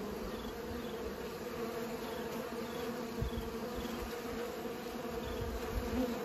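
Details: Bees buzzing while they pollinate, a continuous layered hum with brief low swells as insects fly nearby.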